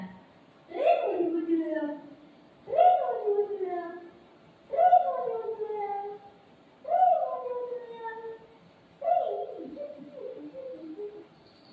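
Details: Golden retriever dog and shih tzu puppy playing with their mom indoors: five drawn-out, falling, tonal barks or yowls, each under a second, come about every two seconds with quiet gaps between them.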